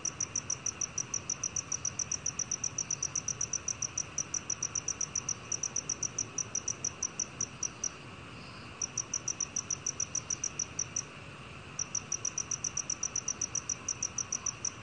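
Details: A black cricket, recorded in 2020 and released by the National Institute of Biological Resources, gives long runs of rapid, evenly spaced high-pitched pulses, broken by two short silences, against faint background hiss.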